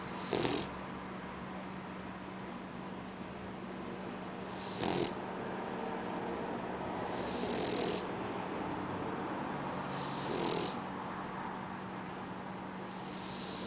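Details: Boxer puppy fast asleep, snoring: soft breathy snores recurring roughly every three seconds, each with a brief hissy burst, over a steady low electrical hum.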